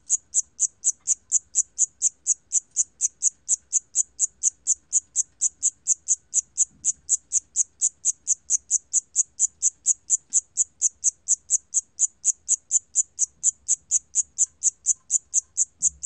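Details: Cricket known in Korean as 샴귀뚜라미, recorded by the National Institute of Biological Resources in 2020: high, sharp chirps repeated steadily about twice a second throughout, with a faint low hum beneath.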